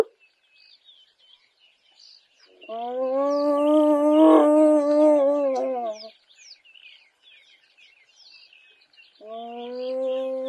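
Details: A female spotted hyena in Kruger National Park gives drawn-out, wavering tonal calls while small birds chirp in the background.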